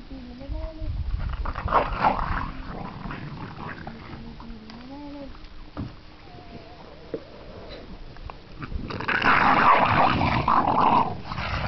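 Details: Staffordshire Bull Terrier puppies seven weeks old give thin, rising-and-falling howls and whines, one squealing almost like a pig while fumbling at an edge, with voices and rustling nearby.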